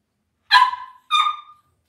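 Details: Two high whiny yelps from Cavalier King Charles Spaniel puppies kept in a home puppy pen, each bursting out then tapering and falling away, with silence between and around them.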